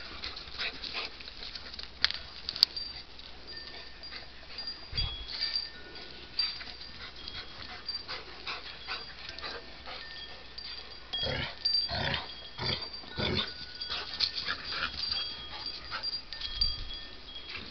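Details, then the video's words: Pet dogs at play give off short whimpers and yips, scattered irregularly, with a few low thumps and a constant high-pitched hiss behind them. "dogs make weird noises while they play."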